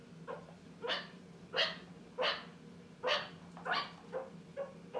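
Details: A meerkat on its second day in a new home gives sharp, dog-like barks about every half second over a low indoor hum.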